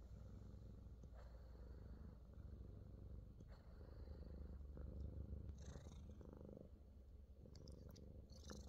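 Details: Purring Himalayan Persian cat, New Zealand, enjoying a full body massage. A deep continuous rumble swells slightly midway, and a few light clicks and brushing sounds come from the hands.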